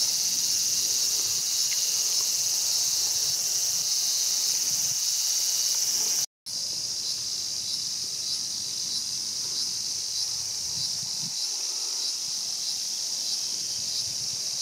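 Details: Continuous shrill cicada drone from Showa Kinen Park in Tokyo, 2020, at the scene of a mantis eating a cicada; the even, high hiss holds steady apart from one brief silent break midway.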